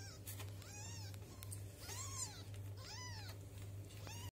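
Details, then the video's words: Kittens aged two weeks mewing for milk, a cat's young begging; four short arched cries, the middle two longer and louder, about one per second, above a steady low hum. "Котенок говорит - мне молока"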